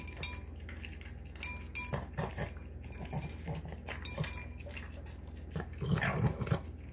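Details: Boston Terrier named Marky snorting and snarfing while wolfing down a dinner of tuna, egg and kibble, sounding like a pig; irregular snuffly bursts over a low steady hum, with bowl clinks.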